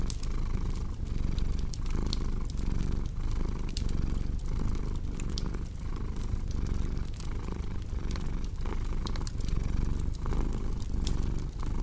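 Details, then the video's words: Contented cat purring in a low, even rumble pulsing with each inhale and exhale, accompanied by a fireplace's crackling and bright popping sparks. "Purring Cat with Cozy Crackling Fireplace Sound"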